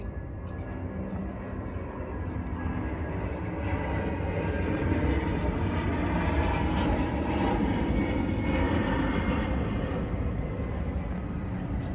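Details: Loud steady drone of engine or traffic noise with no animal calls audible.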